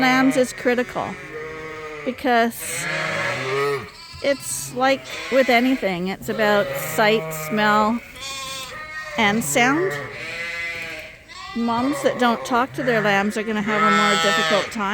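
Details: A crowd of Suffolk lambs, groups mixed together after an open gate at Ewetopia Farms, bleating almost nonstop in a barn: many overlapping, trembling cries of varied pitch, with a faint background of music and voices.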